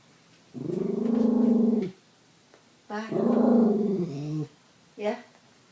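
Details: A Bichon Frise makes drawn-out, moaning, talk-like vocalizations rising and falling in pitch, as if conversing with her owner, who talks back to her; recorded on an iPhone 5.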